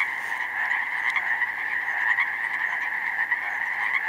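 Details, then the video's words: Pacific chorus frogs in full chorus across a meadow flooded with snowmelt in spring, vast numbers calling at once; thick continuous ribbiting with a few sharper nearby croaks rising above the steady mass. "pacific chorus frogs in full effect!"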